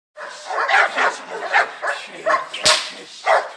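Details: Dogo Argentino barking during an attack: a rapid series of about eight short, harsh, mid-pitched barks within three and a half seconds, with a sharp knock near the end.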